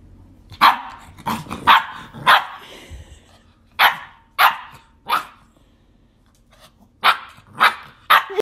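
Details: A big Saint Bernard barks at a person in loud, deep, single barks in short irregular bursts, scaring a tiny dog.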